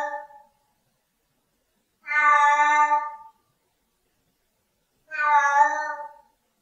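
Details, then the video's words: Siamese cat giving long harmonic-rich meows, two full calls about three seconds apart after a brief tail of one at the start, each drawn out for about a second over silence. "Tunog ng SIAMESE CAT | Sound of SIAMESE CAT"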